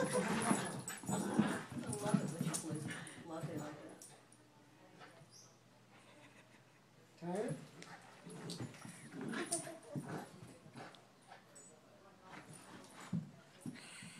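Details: Two dogs, Snowy and Latte, playing together at BJA: bursts of whiny, rising yelps and whimpers, loudest near the start and again mid-way, with people talking and laughing throughout.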